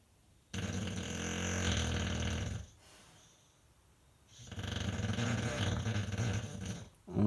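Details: English Bulldog John "Rambo" Von Lucky, aged five, asleep: two long, rasping, throaty snores, each roughly two seconds, with a quiet breath-filled gap between them.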